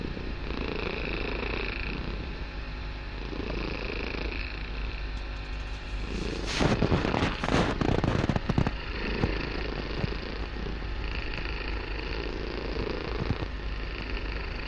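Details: Barsik, a kitten, purrs very loudly in a room; low continuous rumble in alternating breath phases, interrupted midway by a burst of crackling rustle, then the even purring resumes.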